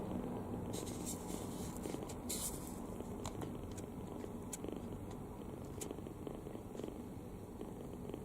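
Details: Open-mouthed kitten sleeping soundly, snoring with a dense low rumble while scattered light clicks and rustles, likely small movements, sound over the top in the first half.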